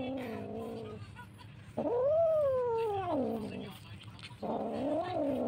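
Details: Orange cat among Jakarta street cats fed daily; long drawn-out meows, a wavering one then a loud rising-falling wail and a third meow, over background hum and faint voices.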